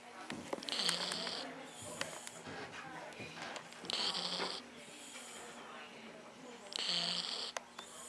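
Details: Dylan, a dog fast asleep during a first trip to the vet, snoring: three long, breathy, hissing inhalations spaced roughly three seconds apart, a constant low electrical hum beneath and scattered clicks in the room.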